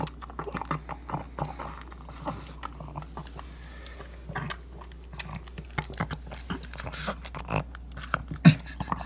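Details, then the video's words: A pug gulping ground beef breakfast, iPhone 7 recording: scattered snorts and lip-smacking chews, sparser with short pauses, a louder snort near the end, over a low steady hum. "Pug Devours Ground Beef (Crazy Sounds)"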